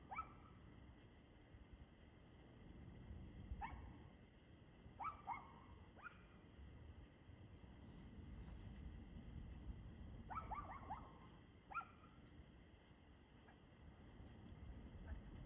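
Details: On 2/6/2024 at 6:02 pm a dog barks repeatedly: single and doubled sharp barks scattered across the stretch, including a fast cluster of three or four around ten seconds, against constant low-frequency noise.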